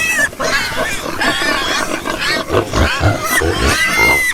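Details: Domestic pigs in a group, squealing and grunting. Whiny, pitched squeals overlap with deep short grunts in a dense, continuous chorus.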